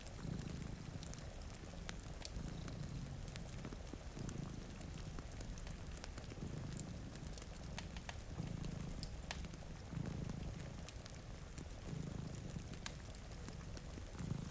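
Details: Sleeping by a rain-streaked window, two cats keep up a deep, throbbing purr that swells and fades in regular cycles, layered over crackling fire and steady rainfall.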